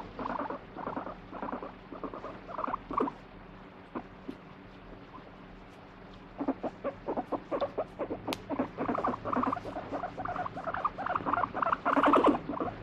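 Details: Guinea pig being stroked, seemingly angry yet demanding more petting: long run of quick pulsed rumbling bursts, pausing briefly near four seconds, then resuming steadily and growing louder at the end, indoors.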